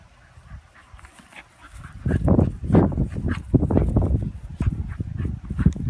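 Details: Miniature bull terriers, an adult and a new puppy, playing together: soft scattered snorts, then from two seconds on dense bursts of low grunting, growly play noises and huffs.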